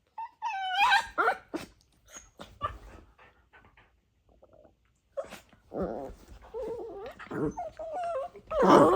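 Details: Dachshund puppies wrestling and playing as best friends; rising whiny yips, short growls and scuffling noises, a quiet stretch, then wavering whimper-growls and a loud harsh burst at the end.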